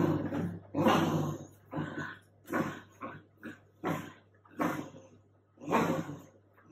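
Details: Female Teckel stuck under a duvet indoors, producing a series of short, harsh grumbles and whiny growls, some clipped and some drawn out, spaced irregularly over a low mains hum.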